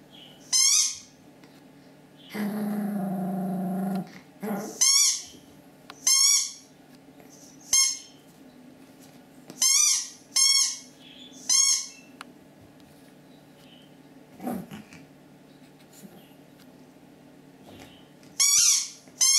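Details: Two Pomeranians, Kuzya at seven and a half months and Steshya, indoors: short high-pitched yaps with ringing overtones come in quick bursts, broken by a lower rough grumbling stretch, over a steady low room hum.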